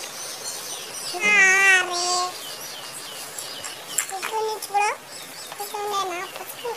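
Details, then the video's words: Kittens meowing, shown as three drawn-out high meows, each rising and then falling, about two seconds apart, over a quiet background hiss. "Funny Cats and Kittens Meowing Compilation"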